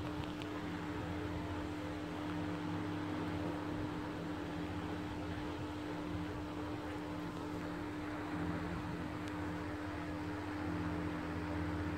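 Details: A steady mechanical hum, like a fan or engine, runs throughout with a constant low tone and no animal sounds.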